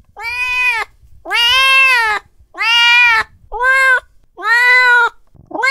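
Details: A cat expresses anger with loud, drawn-out meows, each about a second long, repeated almost every second.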